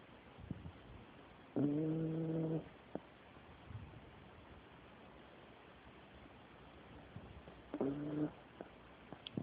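A Dachshund snores, each breath a low, buzzy, tonal drone lasting about a second.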